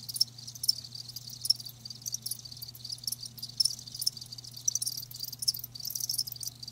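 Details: Distinct sharp cricket chirps ring out about once or twice a second above a softer high trilling chorus of live crickets, with a low hum running throughout.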